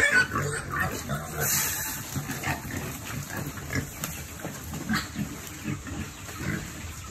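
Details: Farm-raised piglets at feeding time: steady low grunting and snuffling from several animals with occasional sharper squeals, the noise rising and falling in short bursts.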